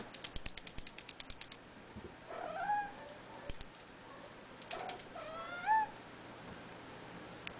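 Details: Blue point bicolor Ragdoll kitten, two months old, meowing twice, each a thin wavering mew bending up then down, after a quick burst of rapid tapping clicks.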